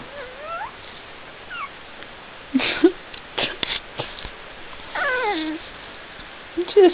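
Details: Helga and Minnie, a brown and a black puppy, chattering: a string of high, wavering whimpers and squeals, some rising and some falling, interspersed with short yelps and sharp knocks, with a person speaking softly nearby.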